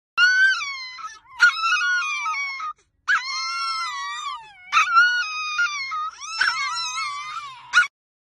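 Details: Chihuahua, a small dog, whining insistently: long, high, wavering moan-like whines with rich harmonics, rising and falling in pitch, given in four drawn-out bouts separated by short pauses, clean with no other sounds.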